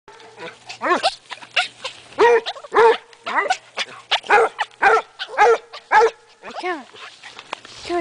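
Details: Basset hound hunting for a rabbit with a chiweenie in the woods around a house; a run of repeated baying yelps, arched and harmonic, about two per second, each short and rising then falling.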